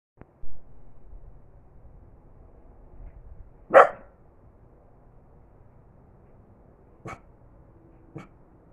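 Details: A corgi relaxing outside gives a single short, sharp bark amid quiet outdoor stillness, followed by a couple of faint taps.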